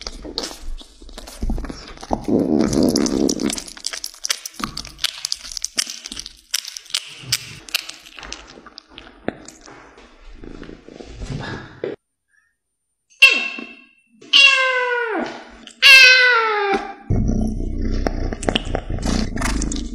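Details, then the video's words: Domestic cat eating meat indoors: wet chewing and crunching clicks fill the first half, then after a short silence comes a run of three or four sharp, falling meows, each bending downward in pitch, followed by a low steady hum. "Cat eating time | Cat eating meats"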